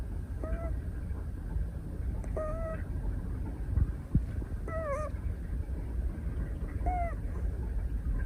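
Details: Snoring of a napping female Scottish Fold kitten, 173 days old, held at a desk, December 2023: short squeaky whistles repeated about every two seconds, four in all, above constant low-pitched breathing rumble.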